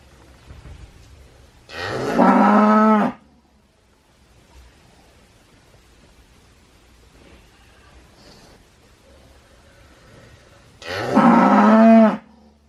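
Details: Two separate cow moos, each about a second long, roughly nine seconds apart. Both are loud and rich, wavering slightly in pitch, with a quiet, low hum between them.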